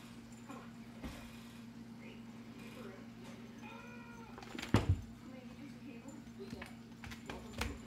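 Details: Bengal cats Frosty and Pasquale playing indoors with a teaser toy; one gives a short, mid-pitched meow with stacked harmonics around four seconds in, amid steady electrical hum, soft thumps and faint human voice.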